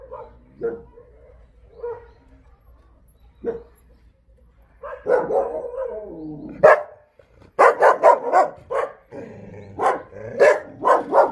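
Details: Kennel barking of Jindo dogs at the breeding facility of the Jindo Dog Theme Park, Jindo County: a few isolated barks, then a rapid run of loud, clustered barks from several animals.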